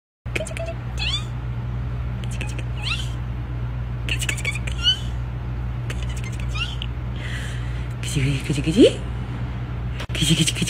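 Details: Kittens at play indoors give a few short, rising meows, then one louder, drawn-out meow near the end. A steady low hum runs underneath, broken by scattered thumps and clicks.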